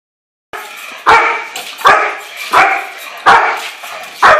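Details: German Shepherd during bite work: after half a second of silence, five loud, harsh barks come roughly every 0.7 seconds, each with a bright harmonic burst and a short rough tail.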